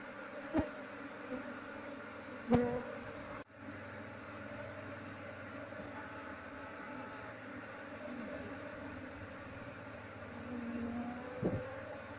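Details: Swarm of honey bees humming as the colony is transferred into a hive box without catching the queen. Steady, layered buzzing with a few sharp knocks early on and near the end, and a short break before the drone resumes.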